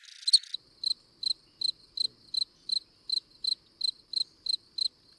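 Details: A cricket of a kind other than the classic fall cricket: clean, single high chirps repeated steadily about twice a second, about a dozen in five seconds, after one louder broadband click at the start.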